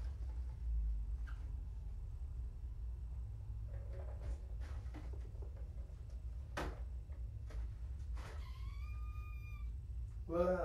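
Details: Kitten from a litter found abandoned in a box beside a road, during an indoor weigh-in; one clear high, slightly rising meow late on, amid bumping, rustling and handling noise over a low room hum.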